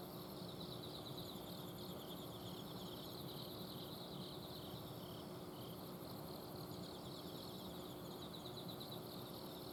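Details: Garden in Azumino, Japan, at night, alive with autumn insects: bursts of fast, high pulsed trilling and a faint higher shimmer, set against the continuous drone of an air-conditioner outdoor unit.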